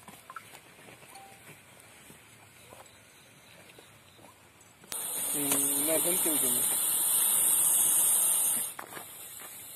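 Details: Indian rock python hissing: after quiet background and murmuring, a sudden strong airy hiss starts and holds steady for nearly four seconds while a man speaks over it, then stops abruptly.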